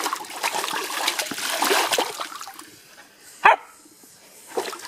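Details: Samoyed named Hayka playing in a cool-water pool and attacking the hosepipe jet; splashing and trickling water, then one loud sharp bark midway and a softer short vocal burst near the end.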